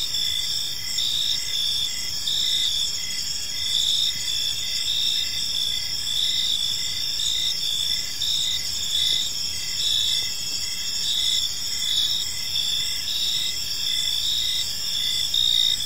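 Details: Evening park crickets in a continuous high chorus: steady ringing trills stacked at several pitches, with a lower pulsed chirp beating regularly about twice a second, over soft low background hum.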